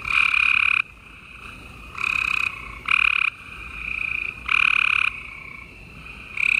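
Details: Gray treefrogs in a dense nighttime chorus in Houston, Texas, late April 2020; loud coarse trills of about half a second alternate with quieter answering trills, keeping the sound continuous.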